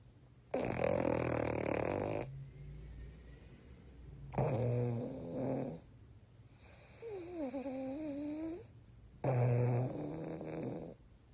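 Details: Four heavy snores from a sleeping French Bulldog with eyes open, each a rough, rattling breath lasting one to two seconds with short quiet gaps between; one breath carries a high, wobbling nasal whistle over the rasp.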